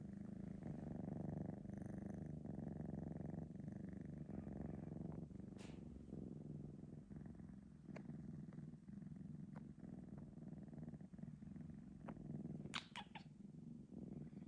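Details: Senna, a male Sphynx cat three months old, purring after a nap, filmed on an iPhone 12 Pro Max; steady low rumbling purr throughout, pulsing about four times a second, with a few brief clicks and handling noises near the end.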